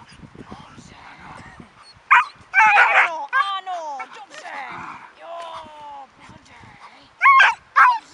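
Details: Vita, a dog in defence training, lets out loud, harsh barks in short bursts, a cluster near the middle and two more at the end, between a handler's steady Czech commands and praise.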